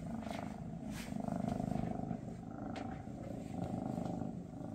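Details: {'caption': 'Continuous deep Maine Coon purr, Mama Freya with her kittens shortly before they go to new homes. Dense, even rumble without breaks, dotted with small clicks and brief touches of handling noise.'}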